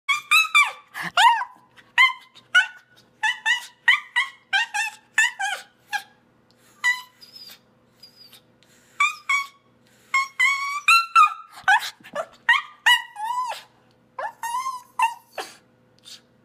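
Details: A male Alaskan Klee Kai lets out a rapid string of high, squeaky whines and yips, excited for a midnight snack of freshly cooked beef liver.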